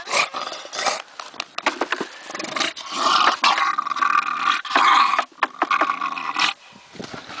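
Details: Conrad, a stubborn bulldog sitting in his bucket, lets out rough, rumbling growls and grunts in uneven bursts, some long and drawn out, with short pauses between them.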